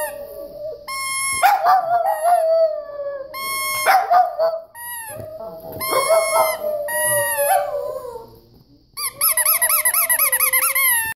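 Boston Terriers howl in long, wavering tones, with voices overlapping and rising into higher, yodelling notes.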